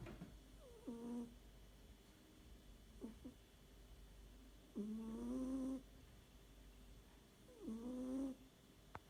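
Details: Snoring cat asleep indoors: a rhythmic series of voiced, slightly rising nasal drones, one lasting about a second, with short soft snorts between them in a quiet setting.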